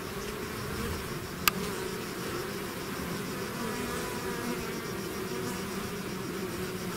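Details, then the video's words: Hive bees swarming outside produce a continuous layered buzz, deep and steady, with a sharp click around a third of the way in and a faint high steady tone above the hum. "bees therapy swarm natural buzzing sound"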